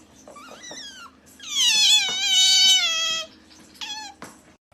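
An otter gives high, harmonic, cat-like squeals and a long descending wail resembling a meow.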